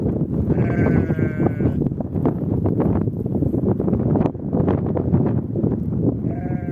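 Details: Ewe with her lamb on open steppe grassland in spring: a wavering, quavering bleat lasts about a second and a half near the start, then a short second bleat begins at the very end, all under constant heavy wind rumble.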